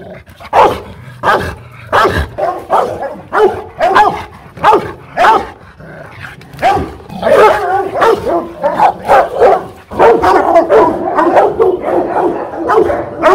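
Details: Fierce Rottweiler from a Hanoi kennel, Loki Gervi, barking aggressively: deep, powerful barks in irregular bursts of varied pitch that crowd together into near-continuous barking in the final seconds.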